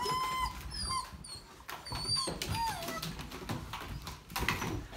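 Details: German Shepherd puppies, several together; thin high whines with rising and falling tones, overlapping, some faint sniffing and rustling, low background noise throughout.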